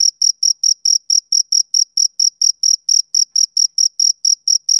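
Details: A male cricket's summer-evening chirping, with crisp high-pitched chirps in a quick regular beat of roughly four per second and nothing else audible in the background.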